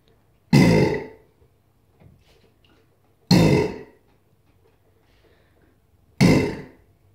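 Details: A female Chinese alligator (Alligator sinensis) gives three deep, rasping bellows, each about half a second long and roughly three seconds apart.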